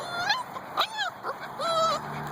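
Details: Two-month-old Husky puppies at their morning wake-up, producing long, high, wavering whines and a sharp yelp, the last whine held steady for nearly half a second.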